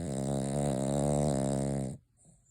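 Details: Sleeping Cavalier King Charles Spaniel Noah, eyes open while dreaming at Christmas, gives one long steady rumbling snore lasting about two seconds before cutting off into quiet.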